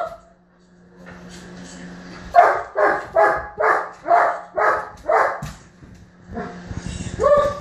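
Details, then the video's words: Frustrated male German Shepherd barking because his ball is stuck under the bed: six or seven hard, regular barks roughly every half second, followed by a higher, whining yelp at the end. "My German Shepherd Barking and Having a Tantrum"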